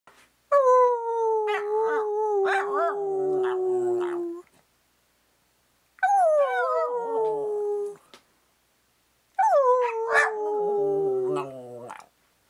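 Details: Maggie, a pet dog who really likes cake, howls at her owner as if talking: three long, steady tones that slide slowly downward, each lasting two to four seconds with short gaps between them, with a few brief yips breaking in.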